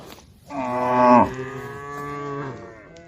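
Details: Female cows in a barn lowing: one long, rich moo swelling and then ending sharply, followed by a quieter, steadier moo that trails off. The barn is otherwise quiet.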